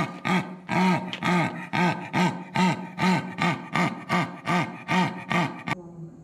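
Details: Zoo animal giving a rhythmic series of harsh, rasping grunts, about eleven in six seconds, each a short rising-and-falling saw-like pulse, evenly spaced and ending abruptly.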